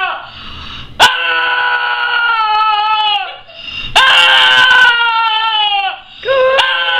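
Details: Cody, a dog, screams in drawn-out, tonal wails lasting around two seconds, each bending downward at its close, separated by a brief dip, punctuated by sudden sharp knocks.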